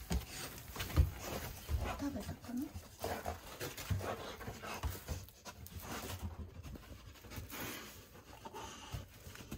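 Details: Golden Retriever named Hana, a pet dog indoors at treat time, greedily gulping down 700 treats at speed; a continuous rough, noisy huffing and munching runs throughout, with a person's voice talking over it.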